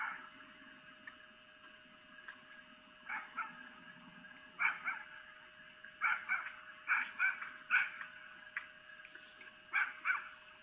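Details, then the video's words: Female red fox (vixen) giving mating calls at night in Lolo, Montana, picked up by a webcam: scattered harsh, raspy shrieks, some in quick doubled bursts, over a steady electrical hum. "Vixen Mating Calls (Female Fox)"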